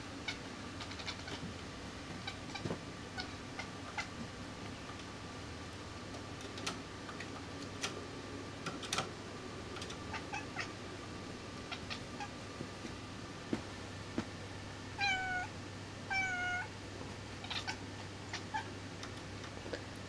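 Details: Indoor kitten named Sql hunting a fly, giving a pair of short, harmonic, chirping calls about a second apart late in the recording, after a long quiet stretch with scattered faint ticks and a steady low hum.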